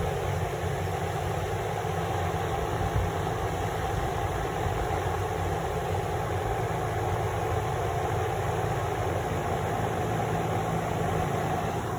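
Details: A steady low idling engine rumble with an even background hiss continues for the whole stretch, with no animal calls audible.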